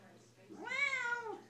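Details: Siamese cat, female, indoors, vocalizing along to a Les Mis song sung by her owner; a single soft, prolonged meow that rises, holds, then drops at the end, with low room hum.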